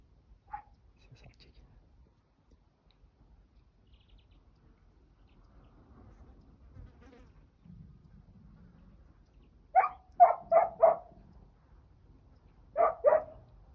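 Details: Five-month-old home-bred puppy on its first hunt, giving voice while trailing an escaping wild boar: after a quiet stretch, a quick burst of four sharp barks, then two more a couple of seconds later, with faint low background rumble.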